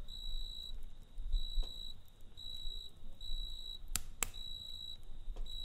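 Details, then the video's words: Cricket chirping at night beside a campfire: a high, steady, pure-toned trill in bursts of about half a second, with short gaps between them. Sharp crackles and pops from the burning fire break in now and then. "Kamp Ateşi ve Cırcır Böceği Eşliğinde Dinlendirici Gece Sesi"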